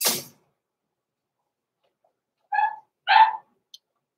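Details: After a short knock and a long silence, blenheim Cavalier King Charles Spaniel puppies born November 14, 2022, let out two short, high yapping barks indoors in their Christmas-season puppy pen.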